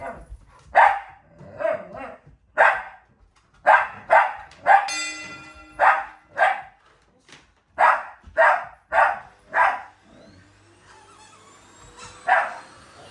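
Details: A Shiba Inu growling as it attacks a vacuum cleaner alongside a Labrador, not angry but playful; short gruff barking growls repeat about once a second in bursts, with a brief mechanical whine midway.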